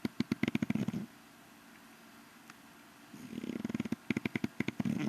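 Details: English Bulldog named Rocky Balboa sleeping through an evening siesta, snoring in bursts of rapid rattling pulses, about a second long, separated by a quieter stretch of steady breathing before the rattling snore returns.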